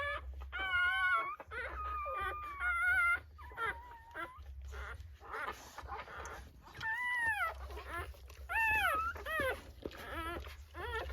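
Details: Newborn Rottweiler puppies at whelping give drawn-out level whines, then later sharper rising-and-falling arched cries in clusters, with a faint low hum throughout.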